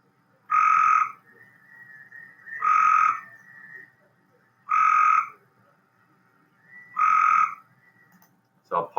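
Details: Cope's gray treefrog (Hyla chrysoscelis) gives short, fast, buzzy trills about half a second long, repeated every two seconds; its trill is more rapid than the gray treefrog's.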